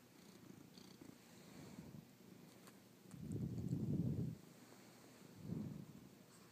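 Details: Pet cat purring indoors while hanging out, from a pair of cats named Soju and Tanuki; a low, steady rumbling purr that swells into two louder surges, one lasting over a second and a shorter one soon after.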